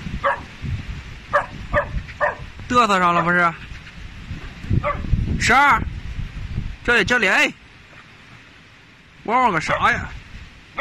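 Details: Working-line Tibetan Mastiffs, territorial guard dogs: loud deep barks and howl-like yelps in irregular bursts, each with a rich stack of harmonics, mixed with background speech and noise.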